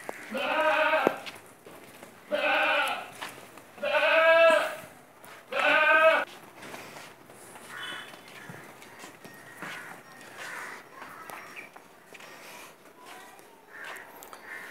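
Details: Giant, heavyweight Punjabi Beetal goat, castrated (khassi): four loud, nasal, quavering bleats about every one and a half to two seconds, followed by several fainter, distant bleats and low background murmur.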